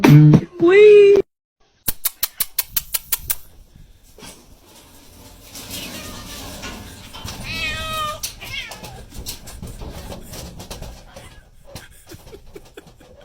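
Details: Domestic cat from a funny-cat compilation: two loud, short harmonic meows open the recording, then a rapid series of sharp clicks or taps, followed by quieter voices, music and a brief warbling sound against room noise.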